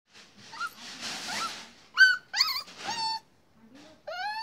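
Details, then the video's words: Puppy barking in a small indoor room: short high yaps with bright rising-falling harmonics, a few sharp barks clustered in the middle and a last yelp near the end, with a faint whimper and some background noise. "Dog Puppy-Cute Barking"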